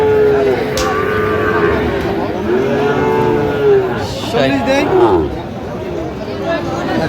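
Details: Young Sahiwal bulls at a Munshiganj livestock market, Bangladesh, 9/8/25: drawn-out, even-pitched lowing repeats over the first four seconds, then shorter bellows are heard beneath men's haggling voices and market bustle.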